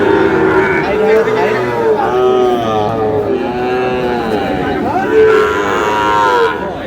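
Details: Sahiwal bull calf at a cattle market in Noakhali, 8 May: repeated mid-pitched harmonic lowing calls that rise and fall in arcs, mixed with nearby men talking and general market bustle.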